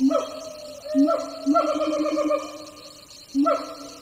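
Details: Wild siamang gibbons heard from a distance on a jungle hike, several troops calling; loud hooting notes with rising and falling harmonics, bursts spaced about a second apart, then a barking series and a final note.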